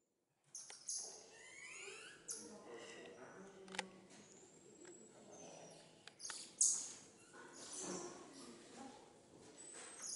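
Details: Cotton-top tamarins (Saguinus oedipus) at the Peaugres Safari park in Ardèche, France, give high, thin chirps and whistled sweeps, with people talking nearby.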